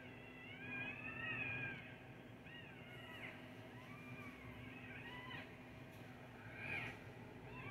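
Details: Seven newborn puppies, freshly delivered at Lafayette Road Veterinary Hospital in Indianapolis, Indiana, lie in an incubator. They give a run of thin, high, arched mewing cries, rising then falling, several in a row, over constant electrical hum.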